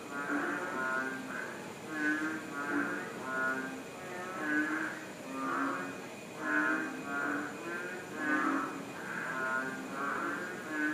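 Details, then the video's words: Thai frogs calling together near Nakhon Ratchasima in April 2013, a dense chorus of rasping, pulsed croaks from many individuals. Deeper throaty notes overlap with higher rattles, rising and falling in irregular waves over a faint steady background hum. "Frog chorus"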